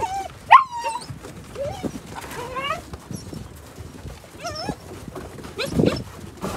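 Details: Gerberian Shepsky puppies, nine weeks old, play outdoors on a sunny, brisk winter day. High, bending whines and squealing yelps rise and fall in scattered bursts while people talk softly nearby.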